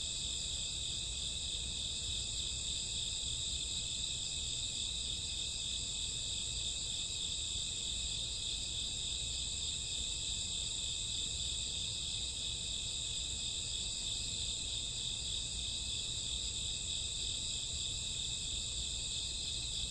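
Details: Midnight insect chorus of crickets and grassworms on a summer or autumn night: constant, ringing high trills blending into one even wall of sound, no pauses, over a faint low-frequency hum.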